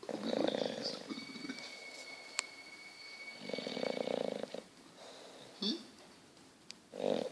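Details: Sleeping English Bulldog Petruchio snoring in slow, rasping, nasal bursts about every three and a half seconds, with a steady faint electronic whine in the background and a brief click between snores.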